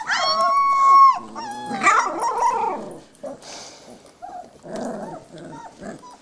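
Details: Three-and-a-half-week-old puppies play together in the whelping box; one gives a long, steady, high whine lasting about a second, then a rough growling yap, followed by quieter squeaks and scuffles.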